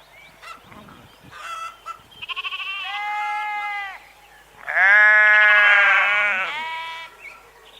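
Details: Sheep bleating: scattered clicks and faint noises at first, then a sustained quavering bleat, a pause, and a louder, harsher bleat with strong harmonics around five to six seconds.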